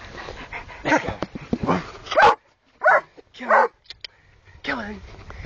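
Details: A Plott Hound "sings" with short, wavering howls that bend up and down in pitch, encouraged by people talking, outdoors among fields and birds in the English countryside on a fine day.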